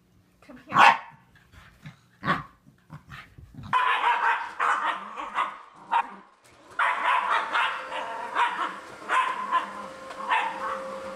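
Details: Domestic corgi barking: two separate loud barks a second and a half apart, then a longer run of rapid yipping barks and whimper-like sounds with faint room noise.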